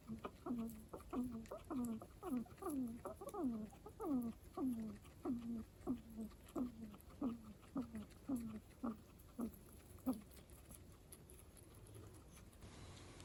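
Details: {'caption': 'Pet guinea pig with a strange, chatty voice producing a steady series of about seventeen downward-sliding squeaks, roughly two per second, ending abruptly and followed by a quiet few seconds.'}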